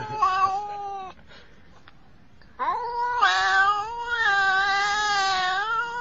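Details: Angry, threatening domestic cat caterwauling indoors: a drawn-out harmonic yowl, a short pause, then a long rising, wavering moan that swells louder and holds steady to the end.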